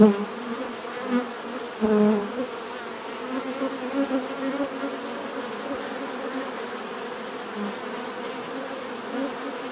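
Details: Bees hum in a steady swarm drone, with close fly-bys standing out as louder buzzes at the start, near two seconds and around four seconds, before the sound evens out.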